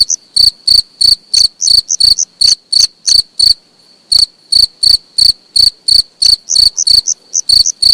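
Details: Cricket chirping at close range: loud, high, dry pulses repeated roughly three times a second in steady runs, with one brief pause near the middle; no other sounds.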